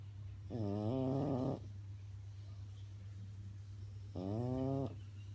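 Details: French bulldog sound asleep and snoring: two long droning nasal snores about three and a half seconds apart, with a steady low hum in the background.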